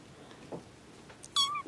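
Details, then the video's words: Domestic kitten, one of a litter whose mothers recently gave birth, gives a single short, high, steady meow near the end after quiet room noise and a few soft knocks. "bébés chatons"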